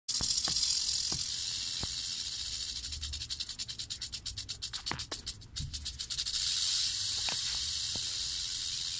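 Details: Western diamondback rattlesnake rattling: a steady dry high-pitched buzz throughout, briefly breaking into a rapid pulsed rattle in the middle, with a few faint clicks and thumps underneath.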